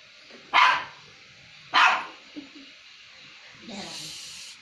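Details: Two dogs fighting over food: two sharp, harsh barks about a second apart, followed by a softer, noisy rasp near the end.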